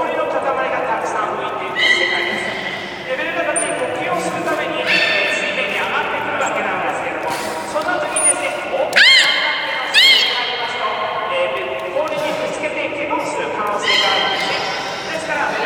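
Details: Beluga during a public training session at Nagoya Port Aquarium, 24 March 2018, 16:30 show: nasal, whinny-like harmonic squeals with quick rising chirps, under steady talking in a large echoing hall, plus brief high whistle blasts.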